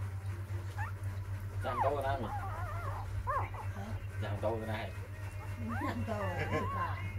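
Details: Four-day-old puppies, six in the litter, crying in a rapid run of thin, wavering squeals and whines that bend upward and downward, several pups calling at once against a constant low hum.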